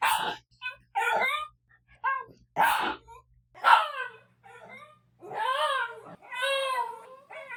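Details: Daikichi, a pet dog that seldom barks 'woof', makes lonely-sounding cries when provoked by other dogs or noises. Short wavering whines give way to two longer arched, howl-like tones that rise and then fall.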